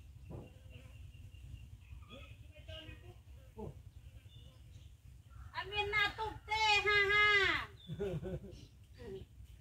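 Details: Hungry mother cat, kept near food with her baby kitten, gives a loud, drawn-out, rich meow that swells and then falls away, after a few softer, faint calls earlier amid quiet background noise.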